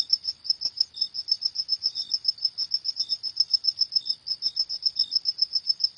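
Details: Crickets at night: a bright, high chirp pulsing rapidly and steadily, interrupted now and then by a weaker, slightly lower chirp; nothing else audible.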